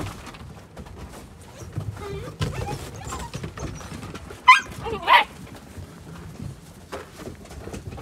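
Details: Outdoors on a bright, cold winter day, nine-week-old Gerberian Shepsky puppies at play give two sharp, loud barks close together midway, amid quiet chatter and low background murmur.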